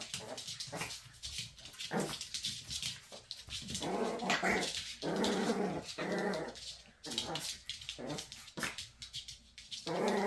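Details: Playful squabble between two Maltese dogs, mother teasing son: nearly continuous rolling growls and grumbles rise and fall over ten seconds, with bursts of scuffling noise and brief pauses.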